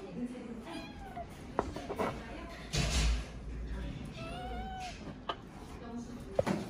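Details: Jango, a young cat rescued while unable to see, at the time of its surgery, gives a few drawn-out arching meows, one early and a longer one midway, over people talking and indoor room noise.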